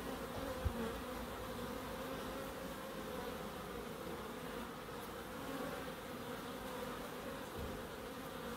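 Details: Bees in a small wildlife garden at an end terrace house in Crookes: a steady, dense buzzing hum of many insects with bright banded tones near 250 and 500, continuous throughout, plus a faint low thump early on.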